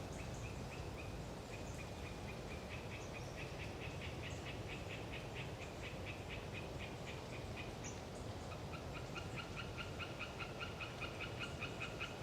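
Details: Hyla orientalis tree frogs calling on a windy autumn day in the Galeriç Swamp Forest, Kızılırmak Delta, Samsun: rapid trains of short nasal notes repeated many times, two callers overlapping, with high thin bird notes and a steady wind roar beneath.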